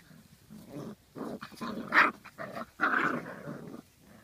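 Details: Poodle puppies recorded in 2013, making a run of rough, voiced growling and grumbling sounds in short bursts with brief gaps, some rising into louder harsher yelps around the middle.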